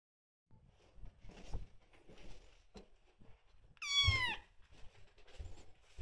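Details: Indoor cat room with rescued kitten Aira, 27 days in care, and cat Shipi together: soft rustling and shuffling, then one loud, bent meow that rises and falls, then more light movement sounds.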